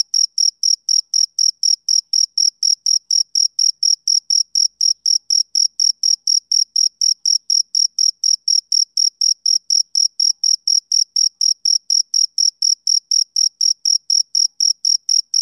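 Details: Male cricket chirping on a summer evening, a rapid, steady run of short high-pitched pulses, about four per second, evenly spaced with no pauses and nothing else heard in the background.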